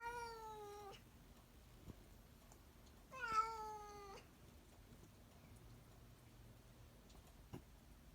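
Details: Domestic cat giving two drawn-out, slightly falling meows with rich harmonics, about three seconds apart, in an otherwise quiet indoor room with faint low hum.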